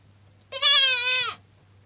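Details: A young goat (kid) gives a single high, steady, nasal bleat lasting under a second, held level with a slight waver, against a quiet background with a faint low hum.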